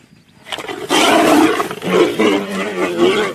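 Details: Tiger fighting with a lion: after half a second of quiet, harsh broadband snarling roars burst in and continue loud and rough, with growling rumbles and rasping surges until the end.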